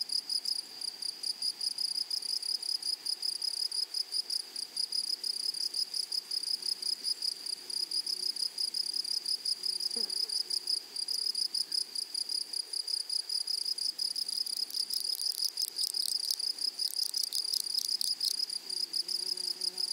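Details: Continuous high stridulating chorus of meadow grasshoppers, rapid pulses running without pause, while near the end a broader buzzing insect sound rises briefly above the steady ringing.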